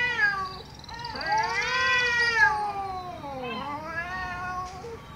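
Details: Angry domestic cat meowing loudly: a short opening cry, then two long, strained meows, each sliding down, dipping and rising again, and a brief final squeak.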